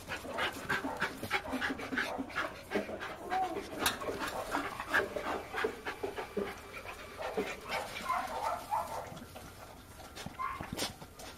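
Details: Male Bull Terrier breathing in rapid, uneven panting bursts, roughly three per second, with soft snuffling noises and a few brief higher whimper-like tones toward the end, recorded close up indoors without other clear sounds.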